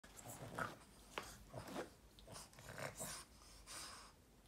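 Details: Boston Terrier growling indoors after waking up, a series of short rough grumbling bursts with breathy noise, roughly every half second, in a small room.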